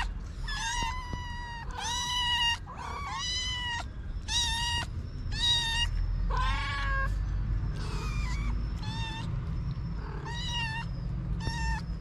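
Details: Hungry stray kittens with their mother cat, waiting to be fed: a rapid series of about a dozen loud, insistent meows, roughly one per second, several voices overlapping, over a low background rumble.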